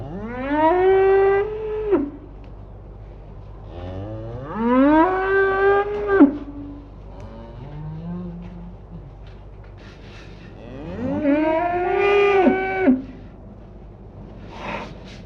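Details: Cows mooing in a pasture: three long, rich moos over about fifteen seconds, each swelling up in pitch, holding, then falling away, with a soft low grunt between the second and third.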